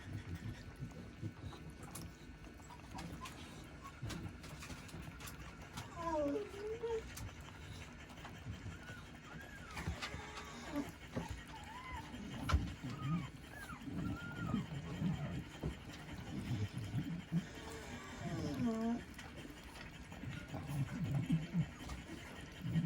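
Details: Shiba Inu puppy eating weaning food for the second time: thin, wavering whimpering squeaks that bend up and down, in short bursts near 6, 10 to 13 and 18 seconds, over wet chewing and lapping noises and a low background hum.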